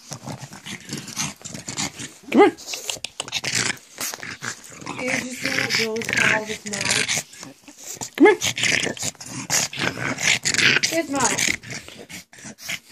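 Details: Pug indoors making goblin-like noises while a person coaxes it with a treat; raspy snorts and grumbles mixed with human speech and brief higher whining notes throughout.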